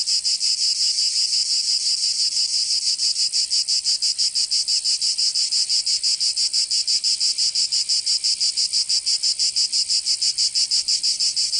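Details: Cicadas of southern France's Provence region calling in summer: shrill, grating buzz throbbing in even rapid pulses near three per second, sustained and strong without pause; no other animals or noises.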